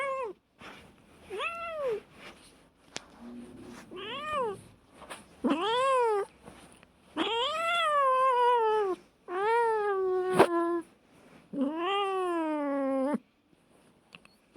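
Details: Cats fighting, giving a run of about seven long harmonic yowls. Each lasts roughly one to one and a half seconds, swelling up and sagging down in pitch, with short silent gaps between them.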